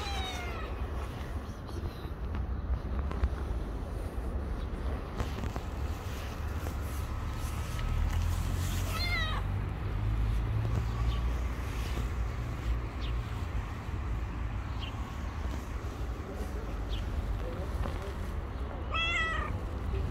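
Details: Hungry stray cat that climbed onto a person's shoulder on the street, meowing: three drawn-out, harmonic meows, one at the start, one near the middle and one at the end, over steady low traffic rumble.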